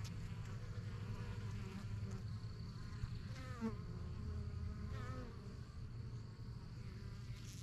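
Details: Honey bees flying in and out of a busy yellow backyard hive, new in spring 2023 and the strongest of a beekeeper's first few hives. Dense, steady low buzzing hum, with a few brief chirping calls from another animal around midway.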